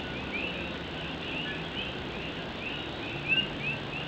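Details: Night rain pattering on an old tin roof in Puerto Rico masks a dense chorus of Puerto Rican coqui frogs, rising chirps layered continuously, one nearer frog briefly louder near the end.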